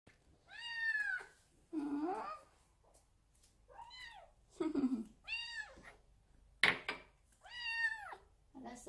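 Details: Munchkin kitten Sinbi, a young odd-eyed short-legged female born July 2018, kept indoors as a pet, giving a string of high, arching meows with rich harmonics, a few lower chirping mews between them, and one sharp click.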